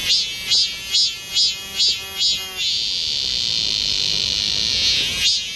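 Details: A cicada sings in a Galsan Park forest in Seoul during summer: loud pulsed phrases repeated about twice a second, each a harsh throbbing burst, then merging into a steady shrill drone with a rising pulse at the end.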